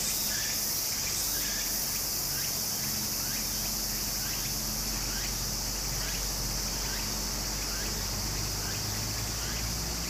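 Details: Beside a Japanese stream in summer, cicadas give a constant piercing buzz, a few louder pulses near the start, many small rising chirps, and a rumbling low background of flowing water.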